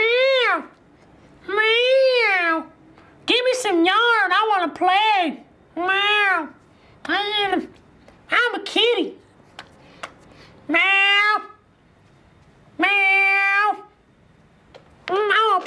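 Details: Domestic cat giving a long series of about eleven arched, tonal meows, some drawn out and others short and clipped, spaced irregularly over the recording in a quiet indoor room.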